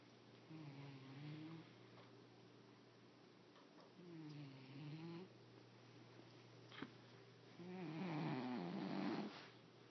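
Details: Male domestic cat snoring while asleep indoors, low harmonic rasping breaths in three drawn-out bursts, each followed by a quieter pause, the last one louder and rougher.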